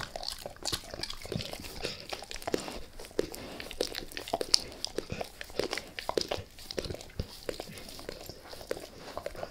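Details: Max, a dog, working on a beef rib with steady bright crunching and clicking bites, fairly even in loudness throughout, with no voices.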